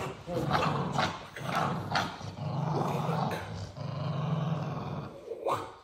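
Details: An American XL Bully puppy growls in low, rumbling stretches, three sustained growls of roughly a second each with short pauses between them, while human voices talk faintly over the top.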